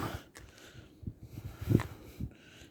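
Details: Shiba Inu named Chichi, a friendly dog kept near the Kanahama branch school in Aomori City, Aomori, Japan, sneezing after being stroked and having moulting fur removed; soft snorting puffs build to one sharper nasal burst midway, with rustling handling noise.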